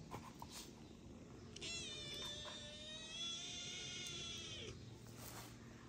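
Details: Black kitten, once unable to walk and now walking and running fast, gives a long drawn-out meow of about three seconds with a stack of steady harmonics, over a quiet room with faint background hum.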